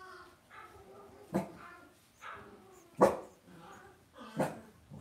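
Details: Cavalier King Charles Spaniel puppies being raised indoors in a home puppy pen give short, harmonic yelping barks about once a second. Sharp knocks and clicks from the pen sound between the calls.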